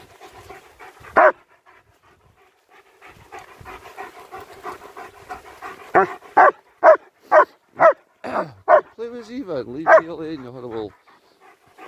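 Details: Two German Shepherds, Nico and Zeeva, on a winter walk around Hawick, Scotland, recorded on a Samsung S23 Ultra phone: short, tonal barks repeat about twice a second, then a wavering whine-like call, with a person talking playfully throughout.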